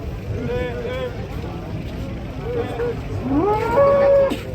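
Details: Large fat cow being unloaded from a swaying truck, giving drawn-out harmonic moos, a shorter lowing early on and a louder rising bellow near the end, over steady low engine rumble and faint voices.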